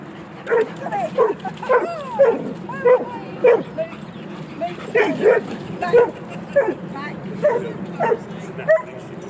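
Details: Dogs playing at Jeskyns Park giving a run of short, sharp barks and yips, about one and a half per second with uneven spacing, some rising and falling in pitch, over steady background murmur and voices.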